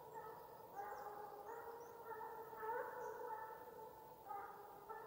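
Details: Russian hound in Ivanovo region, giving its farewell chase song (gon) while pursuing game: long drawn-out tonal howls that waver and overlap, swelling and fading continuously, with faint higher chirps above.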